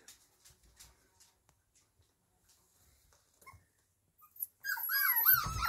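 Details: Kromfohrländer puppies indoors after quiet scattered clicks and rustles, then a sudden burst of high, wavering whines that overlap one another and slide up and down during the final second.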